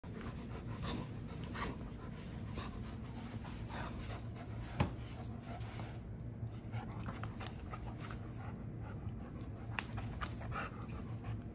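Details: A Rottweiler, possibly a puppy, pants in quick, breathy bursts over a low indoor hum while pulling its owner off the couch.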